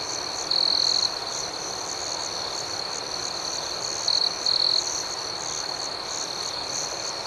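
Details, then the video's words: Night chorus of crickets: an even, high-pitched trill with faint rhythmic chirps, punctuated by a loud sustained trill early and two shorter bursts later. "Soothing Cricket Sounds"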